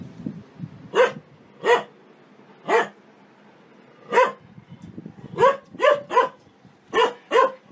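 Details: Happy dog barking out loud for fun; about ten sharp, loud barks at uneven intervals, some in quick pairs, over a quiet background.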